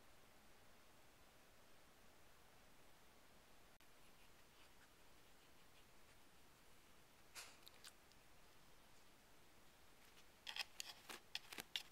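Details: A quiet room with brief scraping and clicking, like plastic pieces being pushed around, and no animal calls.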